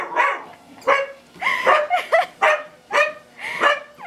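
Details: Pet dog barking excitedly at its owner's mother walking on a treadmill indoors; sharp, loud barks and yips with rising whine-like tones, repeated roughly every half second, with treadmill noise in the background.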